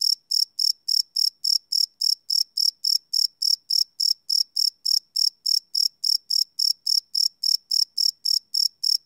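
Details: Cricket calling at night, recorded live on a Sony PCM D100: a metronome-like train of high, sharp chirps, roughly three per second, with a clean silent background.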